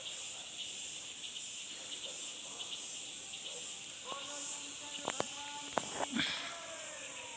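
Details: Insects calling in a steady high-pitched chorus with a faint pulsing shimmer, then sharp clicks and a few short tonal notes near the end.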